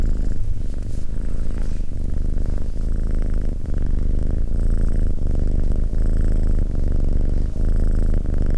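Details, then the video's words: Cat purring steadily, a deep vibrating drone with faint breath-cycle breaks close to every second, heard up close in a quiet setting. "Cat Purring"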